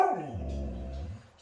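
A Siberian Husky lets out a brief howl that slides from a high whine down to a deep, groaning low note.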